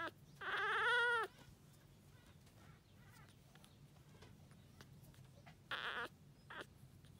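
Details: Lively female Toy Poodle puppy giving a loud, wavering high whine that rises and falls over about a second. A brief sharp yelp and a small squeak follow near the end, with quiet indoor background between them.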